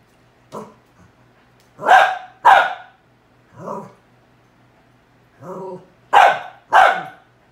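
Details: Barking at a cow hoof, a pet dog gives seven barks over several seconds: loud sharp ones in pairs mixed with softer, lower growl-like woofs, irregularly spaced in a quiet room.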